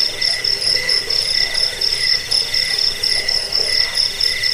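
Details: Cricket sound used to chase off rats, help with sleep and train cage birds: bright, rapid pulsed chirps near four per second, with overlapping callers and a quieter low hum.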